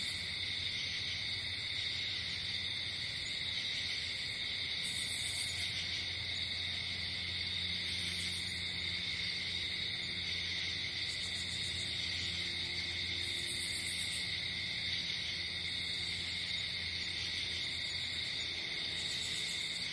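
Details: Crickets at night outdoors in nature, a steady high continuous shrill trilling with faint higher pulsing tones returning every few seconds, no other clear sounds.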